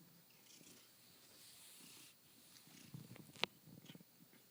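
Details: Male domestic cat indoors, purring contentedly only hours into life in his new home; low, continuous rumbling purr with a sharp click near the end and quiet room hiss.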